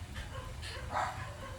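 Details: Husky dog Maya at home, wanting more treats as the owner says to wait until tomorrow; a single short whining yelp midway, over faint background hum.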